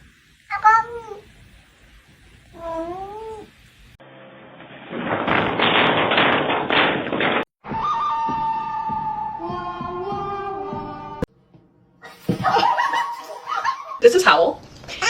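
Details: Domestic cat meowing in a funny-cat compilation: two clear, wavering meows early on, followed by a loud rushing noise, then other drawn-out tonal cries and abrupt cuts between scenes.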